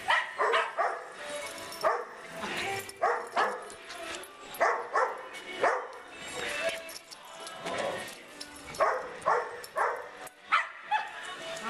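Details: Six small dogs (Snickers, Joey, Giada, Pinky, Winston and MacArthur), recorded 27 April 2011, bark in sharp repeated bursts about every half second, with human voices talking over them.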